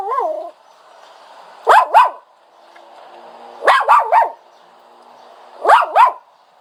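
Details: A dog whines, starting with a fading wavering tone, then three clusters of two or three squeaky yelps about two seconds apart.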